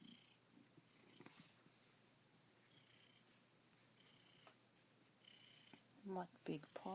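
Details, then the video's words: Dancer, a pet cat only a few hours into life in his new home and described as happy there with his own window sill, purring softly and steadily indoors; a woman's voice breaks in briefly near the end. "Dancer is Still Purring"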